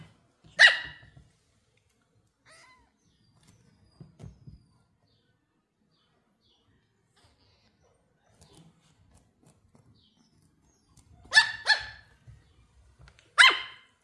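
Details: Lucy, a female Pomeranian puppy, barks with excitement on meeting new kittens for the first time: one sharp, high yappy bark near the start, then quiet with soft low thumps, then two more shrill barks close together at the end.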